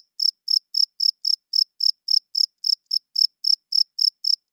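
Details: Loud night-time chirping of a cricket: bright, high chirps in an even series, roughly four per second, each a short buzzy pulse, nothing else audible.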